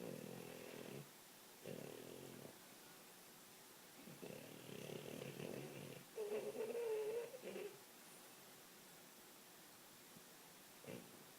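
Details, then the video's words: French Bulldog asleep and dreaming, giving short rattling snores in uneven bursts with pauses between them, one snore ending in a slight whistling squeak. "French Bulldog Snoring"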